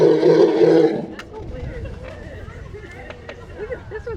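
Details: An elephant, heard calling this loudly for the first time, gives a loud, harsh, roaring call lasting about a second while several elephants, including a female, gather, followed by people talking. Elephant.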